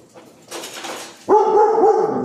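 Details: German shepherd/husky mix barking at a sack of animal feed with a picture of animals on it: a soft noisy rustle, then a loud drawn-out tonal bark-whine that holds steady, wavers slightly and fades.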